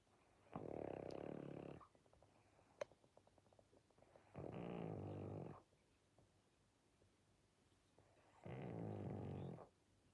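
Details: Pangpang, a sleepy pug, gives three strong, grinding snores, each over a second long and roughly four seconds apart, with faint clicks and snuffling breaths during the gaps.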